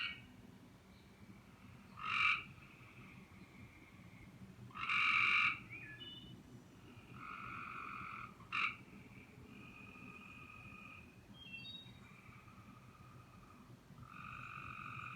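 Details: Evening calls, perhaps a tree frog, coming from the trees in spring: a mix of short sharp bursts and longer sustained tonal notes, irregularly spaced about every three seconds, against a faint low background hum.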